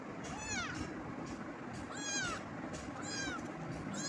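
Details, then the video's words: Cat meowing in a quick series of four rising-then-falling harmonic meows, about one every second, with a steady low hum and hiss underneath. "cat meowing"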